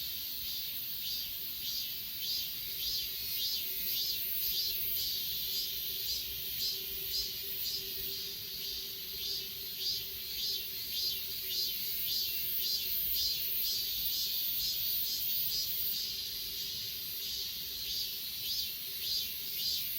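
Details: Achasan mountain grass insects, S20 Ultra recording: shrill layered trilling with regular chirp pulses about twice per second, plus a faint low steady hum in the background.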